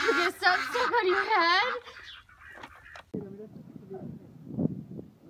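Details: Goat in a funny goat compilation giving a loud quavering, wavering bleat of nearly two seconds, followed by quieter short grunting sounds and a brief break.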